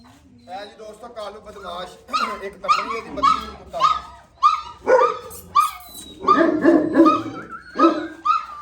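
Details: Gull Terriers (Gultair) at a kennel, a male and a pregnant female: some talk at the start, then loud, pitched barks in quick uneven bursts, some drawn out into whining yelps, over constant kennel noise.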